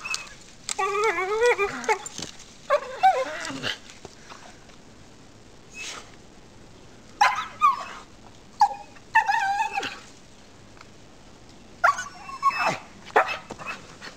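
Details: Pet dog Rosie, up the backyard tree during a chase, makes monkey-like noises: wobbling whines and quick yelps in separated bursts with quiet gaps between.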